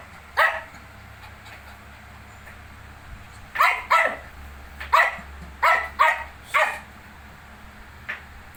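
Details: Shih Tzu with a litter of 19-day-old puppies: a single bark, a pause of about three seconds, then a run of six sharp barks, mostly in pairs, ending with one fainter bark over low background hum.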